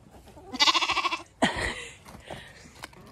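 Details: A trapped lamb, stuck in a gate on a regenerative farm in County Kilkenny, Ireland, gives a wavering, tremulous bleat of distress, followed by a brief human voice urging it backwards.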